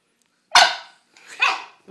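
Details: Bulldog told to speak answers with two loud, harsh barks about a second apart, the first sharp and abrupt, the second slightly rougher and drawn out.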